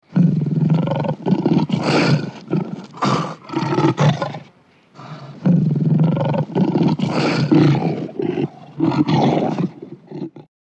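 A lion gives deep, rumbling roars in long bursts, with a short pause between them.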